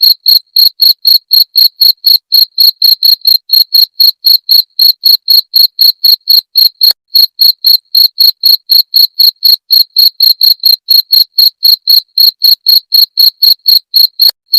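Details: Cricket calling, used to repel rats: a steady train of sharp, shrill chirps, about four per second, metallic and evenly spaced for nearly fifteen seconds, with a faint click midway and nothing else audible.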